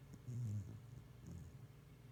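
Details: Pet dog dozing under a kotatsu gives one deep, rumbling snore near the start, then a softer, shorter snort, over a low room hum.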